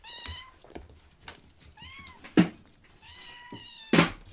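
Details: Rescued baby kitten being tickled and flailing about; three thin, high meows, the middle one arched, spaced over four seconds, with sharp thumps and handling knocks in a quiet room.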